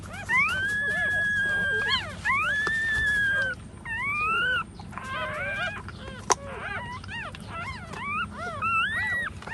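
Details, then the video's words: Nursing puppies with their standing mother, crying in long drawn-out whines that rise then hold, followed by shorter overlapping squeaky yelps from several pups. "poor dog's baby🐕🐕nursing mother standing"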